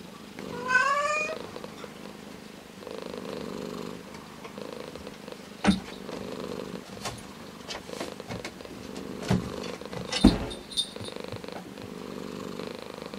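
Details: Orange tabby cat gives a short rising meow at the start, then soft low purring continues beneath a few sharp clicks and knocks.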